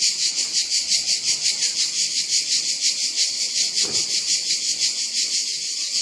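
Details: Cicada singing: a loud, continuous, high buzzing drone that pulses steadily about three times per second, with one soft low thump near the middle.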